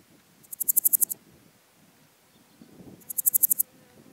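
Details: Podismopsis styriaca, Styrian Golden Grasshopper, recorded on Zirbitzkogel in Austria, 5 September 2019; two high, dry ticking phrases of about eight rapid pulses each, swelling in loudness, separated by a two-second pause over faint low rumble.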